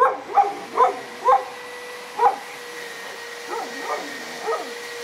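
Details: Korthals Griffon named Djip with a litter on day 57. Seven short, harmonic yelps come in quick bursts, the first four louder and the last three softer and more drawn out, over a steady electrical hum.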